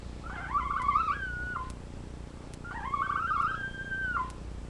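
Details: Two drawn-out whines from Labrador retriever puppies on a live puppy cam, each about one and a half seconds long, wavering slightly before dropping at the end, separated by a short quiet gap.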